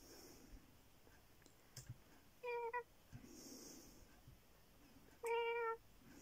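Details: Pet cat named Bear meowing indoors: two short, level meows with strong harmonic stacks, one near 2.5 seconds and a louder one near 5.3 seconds, separated by quiet room noise with faint clicks.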